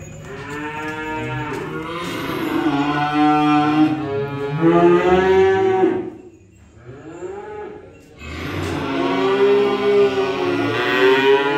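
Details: Cattle mooing while being unloaded, a long wavering moo of nearly six seconds, a short dip to quiet, then another sustained call with broad, rich harmonics.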